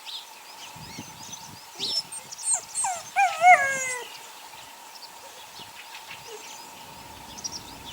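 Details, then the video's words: Eight-week-old puppies from a litter of six born to the neighbour's dog Sunny: a brief run of high, falling whimpers with stacked overtones, several in close succession, then quiet with faint background sounds. "Sunny's Kids 6 Welpen / puppies"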